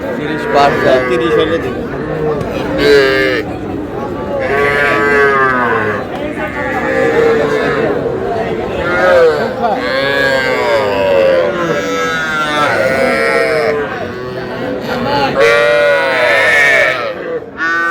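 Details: Small calves, young bulls and heifers, bought by a farmer in Cumilla, Bangladesh, on 12 May; repeated drawn-out bawling moos, some climbing high and nasal, overlap one another every few seconds amid loud market talk and bargaining voices.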